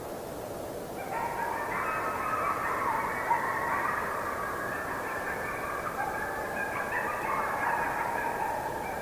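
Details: A pack of coyotes, recorded in forest, breaks into a group howl: many high, quavering voices rising, wavering and overlapping into a steady, continuous yipping chorus.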